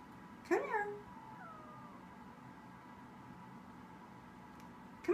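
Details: Domestic cat giving one short meow that rises and then bends downward, followed by a faint, softer drawn-out note, over a low steady room hum.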